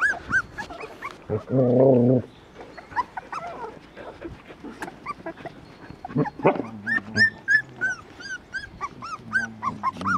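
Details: Border Collie-type puppies nursing on a farm: a loud low growl-like grunt early on, then scattered high squeaky whines and yips from several pups, quickening into a busy run of short peeping cries toward the end.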